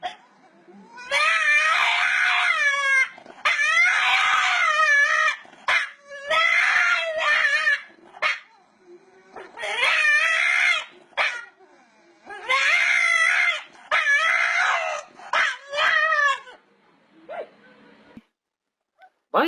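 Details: Domestic dog making funny noises: whiny, wavering yelps and moans in bursts of one to two seconds, repeated about a dozen times, with short pauses. Laughter and music follow.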